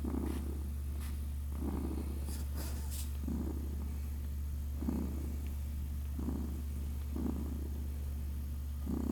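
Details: Newborn kittens, six days old and named Naoki and Kit, feeding and purring: evenly spaced rumbling bursts about every 1.3 seconds over a continuous low hum, a few light clicks early on.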